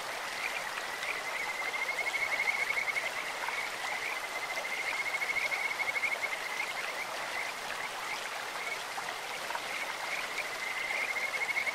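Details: Kajika frogs calling in a clear stream: a thin, high, finely pulsed trill holds a steady pitch through most of the stretch, rising and fading in waves over the constant rush of flowing water.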